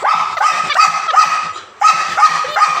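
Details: Leo the pet dog, delighted after stealing a pointed gourd, barks in a rapid series of loud, harsh yaps, a brief pause, then another quick run of barks.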